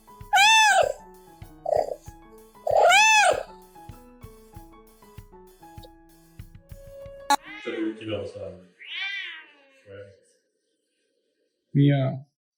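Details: Orange house cat screaming at its owner during a long argument after being fed: two loud rising-falling meows near the start, then more yowls amid a woman's speech and background music, with a final short meow.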